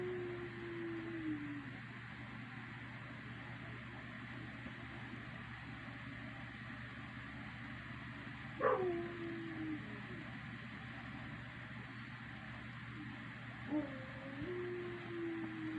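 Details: A dog howling in the night: a soft, drawn-out tone glides gently downward, then a sharp yelp opens a second falling wail, and a shorter one follows later. Faint overall, with a persistent low hum in the background.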